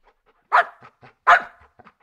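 A Golden Retriever gives two loud, full-throated barks, each followed by softer huffs and breaths.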